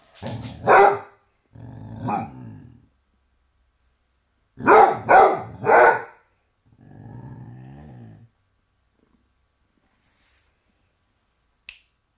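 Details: Basset Hound barking at a toy T-Rex: a loud double bark, a lower growly woof, then a burst of three sharp barks around five seconds, followed by a long low grumbling growl and quiet.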